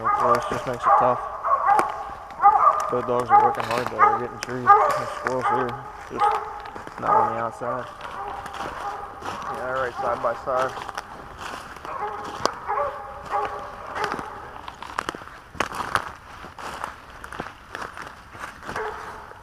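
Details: Dog out squirrel hunting in Pennsylvania in 2021, barking repeatedly in rapid, ringing bursts for the first eight seconds, then softer scattered clicks, rustling and footsteps in the woods.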